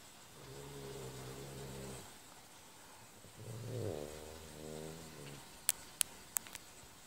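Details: A French Bulldog asleep, giving a steady low snore followed after a pause by a rattling, fluttering snore, then a few sharp clicking taps near the end.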